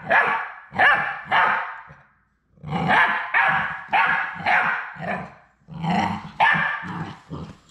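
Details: Three Labrador Retriever puppies on their last day at High Desert Labradors before going to their new families, on a live puppy cam: bursts of harsh, broadband yapping in quick, irregular runs of two to four, with short pauses between.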